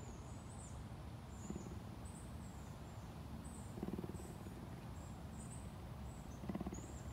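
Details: A captive cougar at a big cat sanctuary in Tampa, Florida, USA, purrs in a deep, steady rumble, with faint high chirps in the background.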